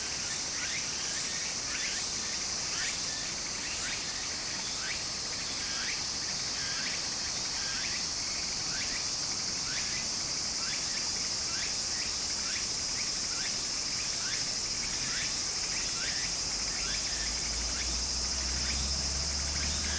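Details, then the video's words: Japanese summer streamside cicadas: an unbroken high-pitched drone with a fast train of short rising buzzy pulses, several per second, across the whole stretch, set against constant flowing-water noise. "小川の流れと蝉の声 自然音 ～夏～ Japan Sound of nature Cicada's voice"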